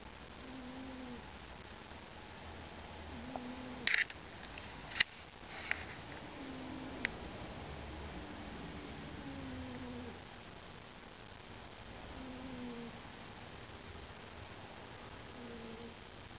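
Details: Sleepy Bengal cat snoring indoors: soft, whistly tonal breaths recurring every two to three seconds, with a brief cluster of clicks and knocks between four and seven seconds over a low room hum.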